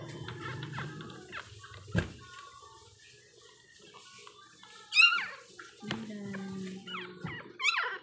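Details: Two-week-old pug puppies being syringe fed: high, thin squeals that sweep sharply upward, one strong cry midway and another near the end, amid steady Tagalog speech and household noise.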